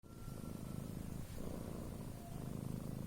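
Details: A domestic cat snoring while asleep: low, rough, rattling breaths in steady cycles, with a soft quieter pause near the middle, recorded close up indoors.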